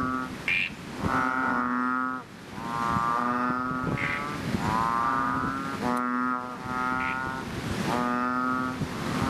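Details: After rain in a fishpond, a chorus of chubby frogs, also called ox frog or bull frog. Loud, lowing, nasal calls last about a second each, following one another with brief gaps as neighbouring frogs overlap.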